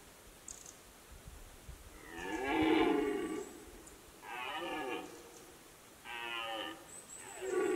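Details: Red deer during the rut, Fatra mountain pastures: three hoarse, drawn-out roars, each about a second long with a strained, harmonic, bellowing tone, spaced a second or two apart, with a fourth beginning at the end; quiet background.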